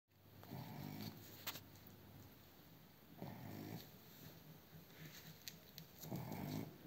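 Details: A Blenheim Cavalier King Charles Spaniel, tagged as a puppy, snores in low, rumbling breaths, each lasting about a second.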